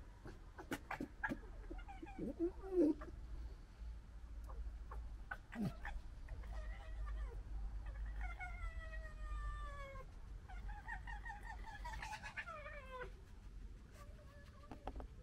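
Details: Foxes from a local family squabble and gekker: scattered sharp clicks and a short squeal, then two drawn-out, stuttering, whining cries falling slightly in pitch, over a steady low rumble.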